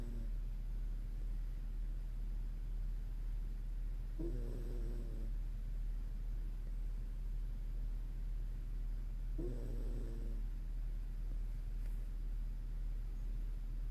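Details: Sleeping Toy Poodle named Moko snores twice, each a short rough inhalation with a buzzing, wheezy tone about five seconds apart, against a constant low droning hum.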